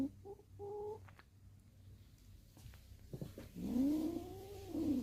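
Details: Stray-born kitten, one of six, in a mountain village: two short flat chirping mews, quiet shuffling, then a long arched lower meow at the end over a steady low hum.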